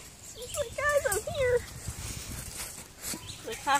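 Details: Littermate foster puppies, twelve weeks old, playing outdoors on 29 May 2017; bent, wavering whines and squeals in quick succession, another brief yelp near the end, outdoor background noise and a person's voice.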